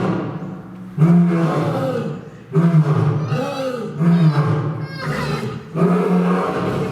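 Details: Chachamaru, a male lion at Fukuoka City Zoo, Japan, roaring in a series of deep, throaty bursts about every one and a half seconds, each pulsing low and rough, with visitors' voices murmuring between them.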